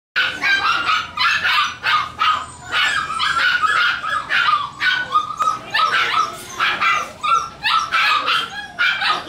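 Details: Havanese puppies barking: a fast, steady run of short, sharp yips and barks, several each second, with brief pauses between bursts and a few thin whimpers mixed in.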